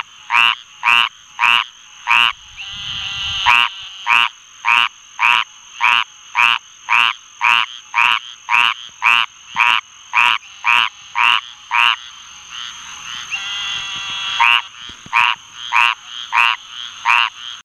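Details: A squirrel treefrog (Hyla squirrella) sings raspy, nasal quacks almost twice a second over a steady high hum; Eastern Narrowmouth Toads and Green Treefrogs call in the background.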